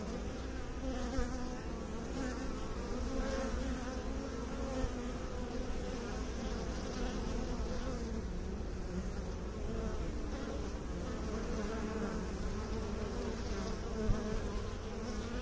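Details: A mass of bees droning steadily for the whole stretch, a deep even hum with a soft tonal band and slight swells in loudness.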